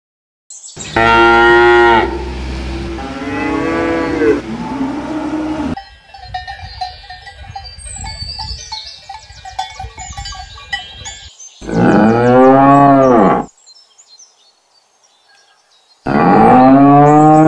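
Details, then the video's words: Domesticated cattle mooing: two moos close together at the start, a quieter interval filled with cowbell clanks and rustling, then another long moo and a final one starting near the end. "Domesticated Herd Sound of Cow Mooing"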